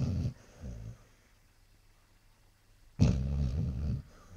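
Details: Sleeping Basset Hound snoring indoors: two short low rumbling snore breaths early on, a quiet gap, then one longer, louder guttural snore near the end.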